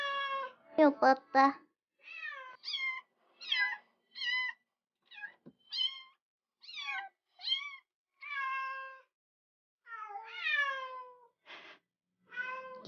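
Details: A cat returned home after six years away, meowing repeatedly indoors: a long series of clear, harmonic, rising-and-falling meows, some short and chirpy, others drawn out, with brief pauses between.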